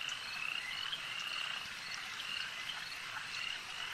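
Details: Frogs calling at a lake by night-time-style nature ambience: a dense, unbroken chorus of high, trilling croaks overlapping steadily, with short bright chirps rising above the wash and no other clear sounds.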